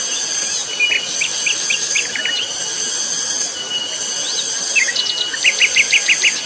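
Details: Cicadas on Mount Pabangbon keep up a loud, piercing, pulsating whine. Bird chirps are scattered throughout, with a quick series of short repeated notes near the end.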